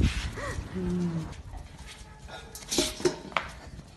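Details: Six-week-old Belgian Malinois puppies give a brief arched whine and a flat, nasal whimper amid clattering dishes.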